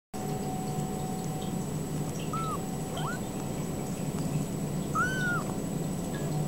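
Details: Ragdoll kittens born and raised in a home cattery in central Kansas, kept without cages; two short, high arched meows, the second fuller and longer, over a steady low indoor hum and faint ticking.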